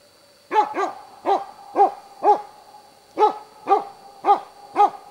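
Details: Hunting dog baying at a moose cow and two calves, at Båthussjön, Huskölen, Sweden, 2008; a sharp bark repeated about twice per second in pairs and singles, nine barks, with a steady high tone in the background.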